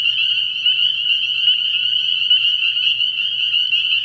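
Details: Spring peepers in full chorus at a frog pond after dark in early spring; sharp high peeps pile up into a constant ringing shimmer, a quiet low drone in the background.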